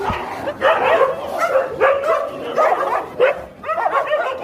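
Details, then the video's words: Fighting dogs bark in clustered bursts roughly every half second to second, each burst a tangle of sharp harmonic yips and whining yelps, keeping up a steady, agitated scuffle throughout. "A dog's fight"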